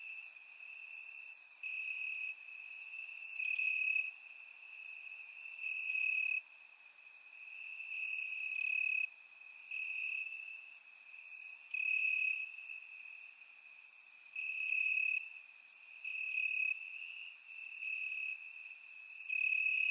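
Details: Crickets chirping in the grass on a warm summer night in Bulgaria, surround-microphone recording: a constant high trill punctuated by brief louder pulses and clicky bursts from several nearby insects.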